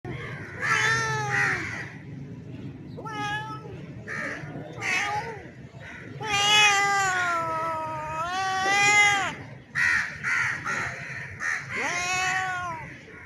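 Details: A male street cat that looks like a Bengal gives long, wailing yowls, a mating call to a female in heat.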